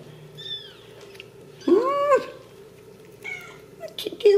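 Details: Ragdoll kittens raised in a home cattery in central Kansas, without cages: a faint high mew, then a loud, clear meow that rises and falls, followed by soft high mews and a woman's voice speaking gently to them.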